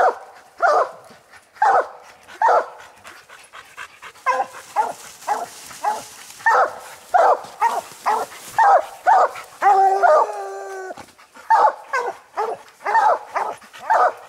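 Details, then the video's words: Coon dogs Lucky, Mossie and Star, treed on a raccoon during a hunt, bark steadily in short chopped bursts roughly every half second, with a longer drawn-out howling bawl near the middle; several dogs overlap at times. "coon dog treed"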